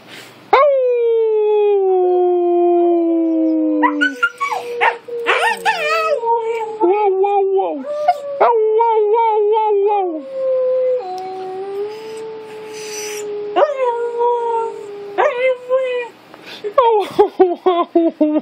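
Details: A Siberian Husky encouraged by its owner to make noise: a long falling howl followed by choppy yodelling yips, whines and wavering tones, with the owner repeating "I love you" and the dog mimicking in reply.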